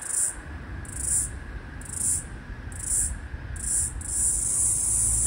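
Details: The last floury baker cicada of Australia's 2022/2023 summer, calling across a busy street in an attempt to sync with another cicada. Its short, shrill buzzing pulses come about once a second and then merge into a continuous high buzz. Low traffic noise runs underneath.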